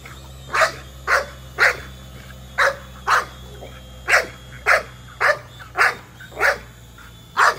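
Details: Chasing a drone, the American Bully Nola barks steadily, roughly twice a second, about thirteen punchy barks in a row over a constant faint mechanical whine.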